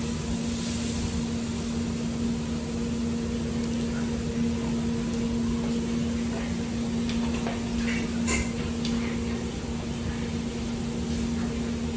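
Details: Steady low electrical hum with a constant drone, faint indoor clicks and clinks, and no animal voice.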